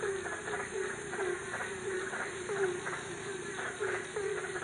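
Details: Frogs calling at night in Ambon, Indonesia; short low croaks repeated roughly every half second, each with a raspy burst above, over a steady high-pitched background hum.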